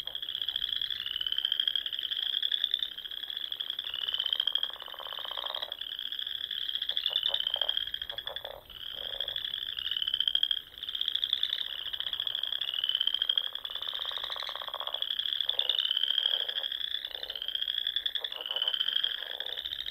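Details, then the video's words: Spring frog chorus from the Nebraska Sandhills at dusk, where frogs sing around small ponds and lakes; overlapping high trilled notes run without pause, with rhythmic lower clicking croaks bursting in between and brief dips in loudness. "RELAXING SOUNDS OF FROGS"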